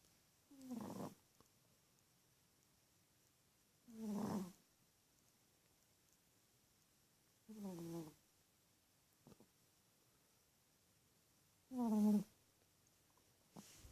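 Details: Female teacup Chihuahua asleep and snoring steadily. Four raspy, buzzing breaths with bending overtones come at regular intervals of roughly four seconds, with near silence between them in a quiet indoor setting.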